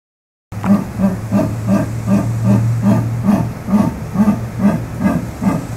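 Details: Jaguar with its natural sound: a steady series of deep, rough, harmonic grunts, about two and a half per second for five seconds, with a low steady hum underneath.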